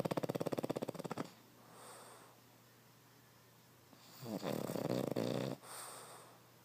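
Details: Sleeping Boston Terrier Derp gives a fast rattling snore that fades out, then soft breaths during a quiet stretch, followed by a second loud, rough snore lasting over a second.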